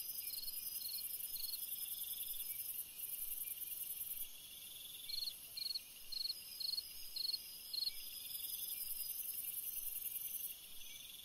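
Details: Cricket singing on a summer night for relaxation: clear short high chirps, about two per second in runs, set against a continuous shrill hissing chorus that swells and fades.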